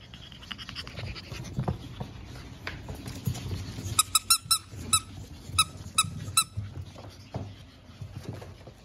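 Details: Pug puppies from a litter of five born April 17, energetic and nearly ready to go home: after a few seconds of shuffling, about ten sharp, high squeaks ring out in an uneven run, followed by quiet scuffling.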